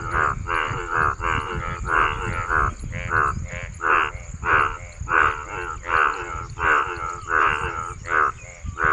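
A male frog croaks in harsh, pulsed bursts, repeating more than once a second.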